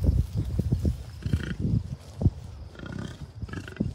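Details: Low, throaty grunts repeated in short bursts from a wild American bison herd with many calves on the Rocky Mountain Arsenal refuge north of Denver, Colorado, early June 2022; wind noise fills the background.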